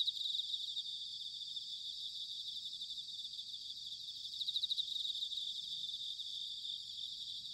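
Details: Many bell crickets trilling together on an autumn night in Sanuki, Chiba, Japan, a steady high pulsing chorus with brief louder swells near the middle and soft low noise underneath.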